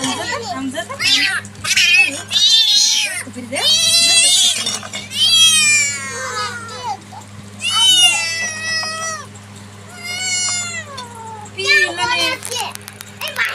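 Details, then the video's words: Small kitten meowing while being picked up, giving repeated drawn-out wavering meows, some rising then falling, about seven in a row, with a person talking and music in the background. "બિલાડી 🐈🐱🐈 બસુ નાનું"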